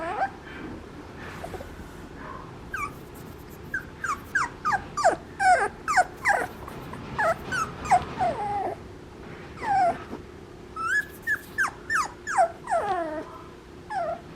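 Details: Papillon puppy whining insistently: rapid series of high, downward-sliding whimpers and yips, roughly two to three per second at the busiest stretch, with brief pauses between bursts.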